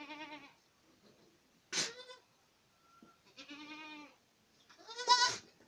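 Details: Boer goats in Acatlán de Osorio, Puebla, giving several short bleats: a soft wavering cry, a sharp abrupt blurt, a sustained quavering bleat, then a loud harsh one at the end.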